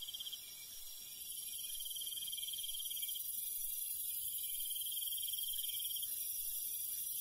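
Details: Night chorus of crickets in rural countryside after dark. A high pulsed trill comes in long runs, layered over a constant, very high-pitched insect drone with a faint low rumble beneath.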